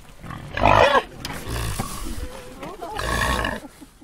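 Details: Wild boar. A wild boar lets out a sudden, harsh, raspy squeal-grunt, followed by a stretch of quieter, rough snorting. A second burst of coarse grunting comes near the end.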